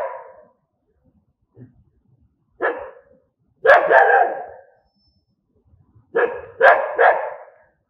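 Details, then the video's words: Dogs barking angrily in uneven bursts: a short opening bark, a faint low sound, then sharp rough barks clustered in pairs and threes with quiet gaps between them. "Angry Dogs barking sound"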